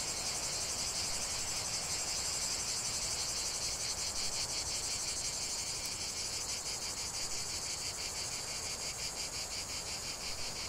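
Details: Cicadas singing in nature, a continuous high, shrill, pulsing drone from many insects, steady throughout with fast rhythmic throbbing.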